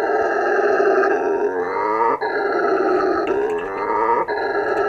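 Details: Sustained roaring from a male howler monkey, a sound given to defend territory and draw females: harsh, droning and deep-bodied, with bands that swoop upward before brief breaths at about two and four seconds.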